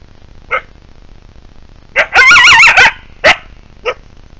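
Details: Wild coyotes: a faint single yip, then a loud burst of warbling, wobbling yelps that waver up and down for about a second, followed by two short sharp yips against a quiet background.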